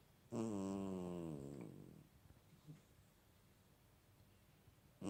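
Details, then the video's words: Sleeping cat giving one long, resonant, vibrating snore that slowly sinks in pitch and fades over nearly two seconds. A short faint rustle follows, then near silence until another breath starts at the very end. "Snoring cat"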